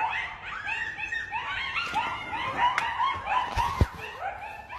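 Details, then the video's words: Pack of at least ten coyotes howling and yelping in the dead of night, recorded from a deck; dense overlapping chorus of wavering, rising-and-falling yips and howls with a few sharp clicks. "Pack of Howling Coyotes"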